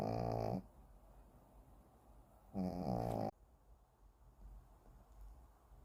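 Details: Kim Simon, a Shih Tzu, snores while deeply asleep: two strong, buzzy, layered snorts about two seconds apart, the second longer, followed by quiet breathing in a still room.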